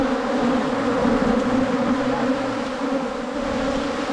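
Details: Wild cavity-nesting honey bees in rural Thailand during a wild honey hunt: a steady, dense droning hum with a low fundamental and stacked overtones, continuous and unbroken.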